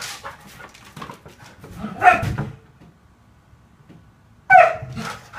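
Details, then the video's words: Siberian Husky inside a house, upset at being shut out of the living room so owners can nap; a couple of loud drawn-out yowls with a quiet gap between, faint rustling underneath. "the Husky Throws a Tantrum"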